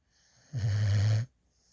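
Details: Female puppy from a rescue organization, asleep in a lap with her tongue sticking out, gives a single deep, steady droning snore lasting under a second, low and even, against a quiet room.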